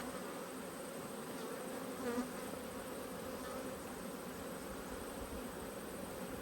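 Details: Agitated honey bees, cross at a beekeeper inspecting their hive frames in Australia, give a dense continuous buzzing drone, even and unbroken for the whole stretch, with a faint brief rise near the middle.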